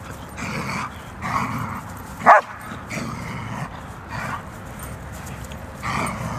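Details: German Shepherds fighting, with harsh, gruff snarling bursts about every second or so. A sharp, high yelp cuts through near the middle, over a steady low background rumble.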